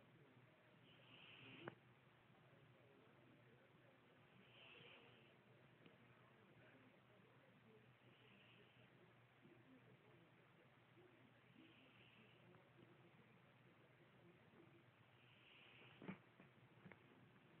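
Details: A kitty snoring: soft breathy rasps at about 2–3k, each lasting roughly a second and returning about every three and a half seconds, five in all over a low steady hum, with one sharp click near the end.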